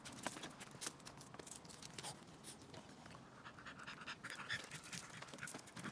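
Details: A French Bulldog on a morning walk on 3 May 2023 pants in quick, uneven, breathy puffs, about two each second.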